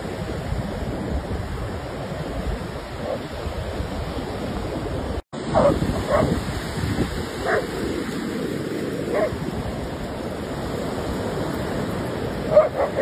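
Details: German Shepherd dog playing and having fun outdoors, giving a few short, sharp barks scattered over several seconds against a steady rushing wash like surf, while a man's voice urges it on.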